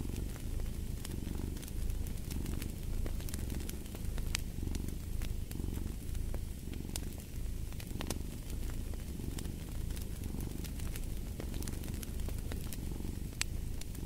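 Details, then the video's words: Steady purring of a cat, a throaty vibrating drone pulsing with each breath, accompanied by the constant ticking and popping of fireplace flames. "Purring of a Cat"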